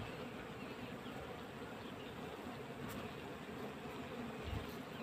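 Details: A crowd of honey bees on a beehive frame in winter produces an even, unbroken buzzing hum, dense and steady, with a faint thump late on.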